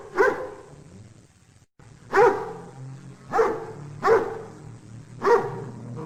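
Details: Single dog barking about once every second, five sharp barks with a brief silent dropout near the start and a soft low hum between.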